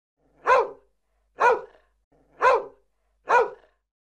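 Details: Dog giving four short, sharp barks spaced about a second apart, each a single punchy burst, in an otherwise quiet background.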